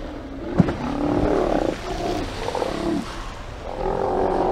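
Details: Steller sea lions at a haulout on 24 September 2018, picked up by a live camera as they get moving: deep, hoarse, drawn-out roars overlapping in bursts of about a second, with a sharp knock near the start.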